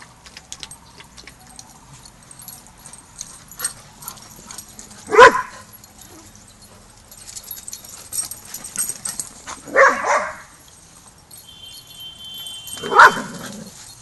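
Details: Barking at Border Collie Boot Camp during young pup Rammstein's first lesson with the pack, learning to get along; three sharp barks spaced a few seconds apart, with softer yips and rustling between.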